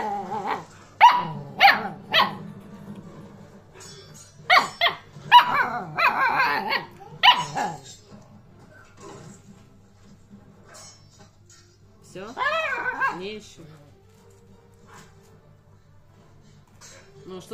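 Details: Alaskan Malamute puppy, two months old, chatting with its owner: several sharp yelping barks and grumbly vocal bursts early on, then a long quiet stretch before a single rising, wavering woo sound.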